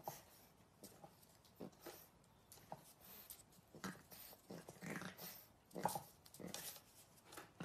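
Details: French Bulldog puppies giving short, sharp, yapping barks and grumbles in irregular bursts, roughly a dozen over about eight seconds, with quiet pauses between them.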